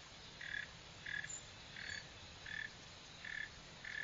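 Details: Chirps of a Northern mole cricket (Neocurtilla hexadactyla): six brief, buzzy pulses spaced roughly 0.7 seconds apart, each a clipped mid-pitched note over faint low hiss.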